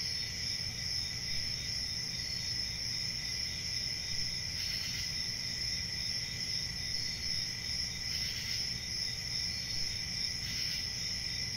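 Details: Crickets in a steady, dense chorus: continuous high-pitched trilling bands layered together, with occasional brief louder pulses rising above the drone every few seconds, and a low background rumble.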